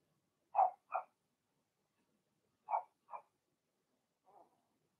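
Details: Puppy pen with young Blenheim Cavalier King Charles Spaniels, six in the litter: barks come in two quick pairs about two seconds apart, followed by one faint softer yip. Room otherwise silent.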